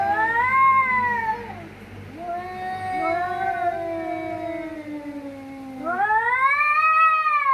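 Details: Cats fighting: long wavering caterwauls with strong harmonics, rising and falling in pitch, overlapping howls from more than one animal, a loud rising wail near the end.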